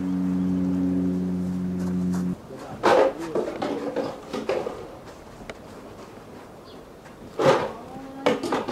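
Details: Lila, a two-year-old female polar bear at Maruyama Zoo, Sapporo, Hokkaido, kept in a cage enclosure, 15 March 2017. After nursing from her mother Lara ends, she loudly demands more. Harsh, loud bawling bursts near three and seven seconds follow steady tonal music.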